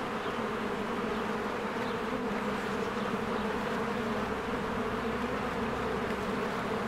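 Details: Honeybees working around their cozy hive in spring as flowers bloom, a steady buzzing hum of many wings, constant in level, with soft distant bird calls.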